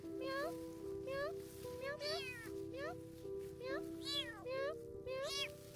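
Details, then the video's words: A stray black cat in an abandoned garden, hungry and cold in rainy weather, meows continuously as if seeking help. Rising, drawn-out meows repeat roughly every second over steady background music. "a cica folyamatosan nyávogott, mintha segítséget keresne miau miau miau szegény cica éhes és hideg állapotban van miau miau miau"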